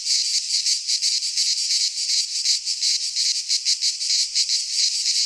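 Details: Greek pine-forest cicadas in midsummer produce a shrill droning buzz broken into clear rhythmic throbs, roughly three per second, the pulsing sharper and more separated than a smooth hiss.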